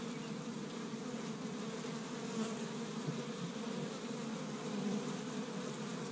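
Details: Busy honey bees working an established Michigan hive on a warm spring day, collecting tree-bud pollen; continuous low buzzing drone that holds even and full, with slight swells as individual bees pass close.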